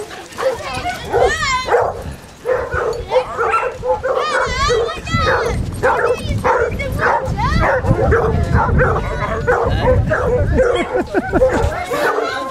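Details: Pack of 24 Basset Hounds on a five-mile walk along Burnham and Berrow beach, Somerset, England, 2 February 2014: dense overlapping chorus of wavering, harmonic bays and yelps from many dogs at once, with people talking and laughing nearby.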